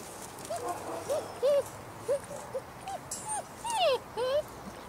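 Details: German Shepherd puppies six weeks old, from one litter, giving a series of short high whimpering yelps with upward and downward slides, several overlapping, alongside a person talking.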